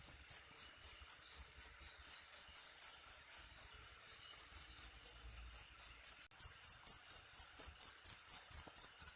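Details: Cricket sound used as training material for caged birds: fast, piercing chirps in a rhythmic series, a short gap after about six seconds, then the same quick pulsing resumes; quiet background.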